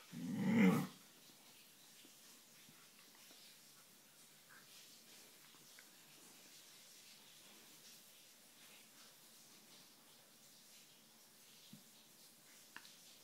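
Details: Siberian Husky named Sjusja, sleeping indoors on its mistress's bed and unwilling to leave, gives one short, loud, low growling grumble lasting under a second at the start, followed by long quiet stretches of soft breathing and faint room noise.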